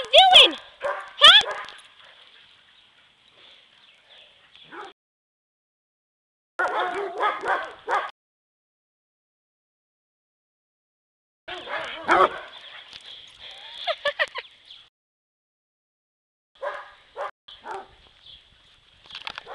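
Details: Three dogs, Dodger a yellow Lab mix, Shelby a black Lab and Australian Shepherd mix, and Elwood a Basset Hound, play and run around together; bursts of harsh barking open the clip and return midway, with gaps of silence and human voices between.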